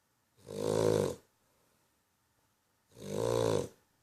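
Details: A dog asleep, giving two long, rattling snores about two and a half seconds apart, each swelling and fading over nearly a second, coarse and buzzy with a throaty vibration; quiet room between breaths.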